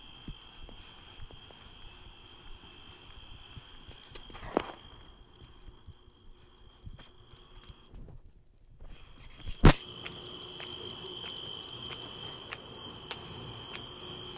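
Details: Crickets at night during a walk to the store: a steady high trill with a second, higher shimmering band, over soft footsteps, low rumble and a sharp click near the middle.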